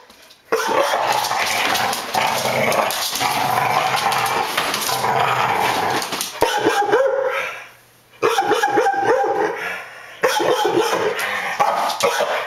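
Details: Daisy, a young Pit Bull foster dog reacting to a running vacuum cleaner during counter-conditioning training: the motor's loud steady roar dominates, with sharp barks and yips breaking through, several clear around six to eleven seconds.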